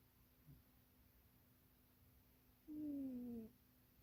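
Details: Munchie, a pet cat, dozing and dreaming squeezed into an undersized box; after a long quiet stretch comes one short, steady, gently falling nasal snore.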